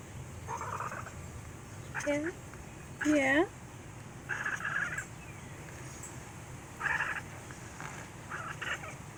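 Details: Black domestic cat chittering at its owner indoors: short bursts of quick, clipped chirps and trills, with a few bent squeaky notes, spaced irregularly with pauses between.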